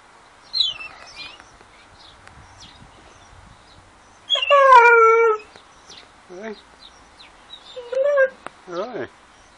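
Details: A Dogo Argentino 'talking' in drawn-out whining yowls. A loud harmonic cry falls steadily in pitch, followed by shorter wavering whimpers and moans, with a few faint sounds between them.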